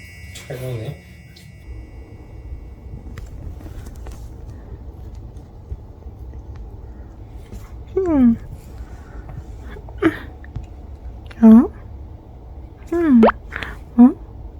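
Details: Munchkin cat named Rang, kept indoors as a pet, gives a few short meows spaced about a second or two apart near the end, each sliding down in pitch, over a quiet room with faint low hum.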